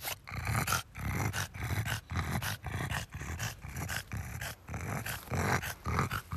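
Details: French Bulldog named Oleg, out on a garden plot after discovering a taste for strawberries; rhythmic grunting snorts and chomping bursts about twice a second, low and broadband, separated by short pauses.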